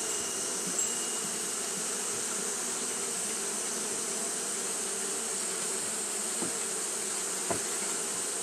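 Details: Japanese honey bees fanning nonstop on a hot day: a dense, steady low hum with layered tones, a constant high hiss above, and a few faint ticks near the end.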